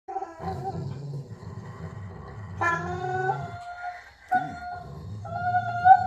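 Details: Pet dog during tug play making strange noises: a low, rumbling growl runs beneath sustained, howl-like whining tones that break off and return in bursts over about six seconds.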